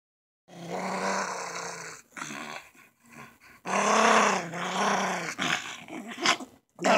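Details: Schipperke growling fiercely while playing with his chew toy; low rumbling growls in bursts of one to two seconds separated by short pauses, with a person speaking briefly.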